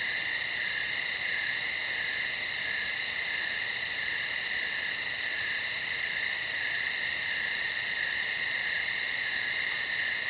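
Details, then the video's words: Night-time insect chorus in the woods: continuous shrill whining bands held at steady pitch, with a thin, very high rhythmic pulsing trill running throughout and one brief extra chirp midway. "Night Insects in The Woods"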